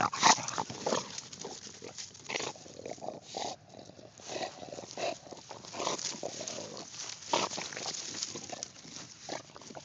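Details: An English Bulldog confronting a pumpkin snorts and grunts in rough, breathy bursts, with loud snuffles scattered throughout.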